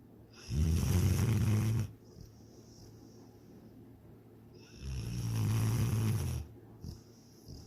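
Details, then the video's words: Two long, deep snores with a rattling edge, about four seconds apart, from the pet dog Sydney as she sleeps and dreams of chasing a rabbit and swimming in the lake; soft breathing fills the gap. "My SNORING DOG SYDNEY!"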